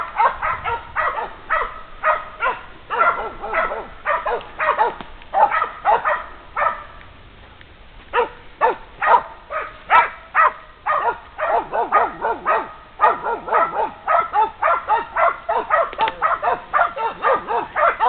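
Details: Polish Hound bitches bay at a wounded wild boar they reached after following its trail for 800 metres, twelve hours after the shot. Steady, resonant barking comes nearly twice a second, with one brief pause midway.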